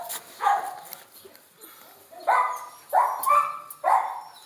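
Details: Pet dogs, a pinscher and a Jack Russell, indoors; a domestic dog gives four short, high, whining yips, each a tonal cry lasting about half a second, separated by quiet gaps.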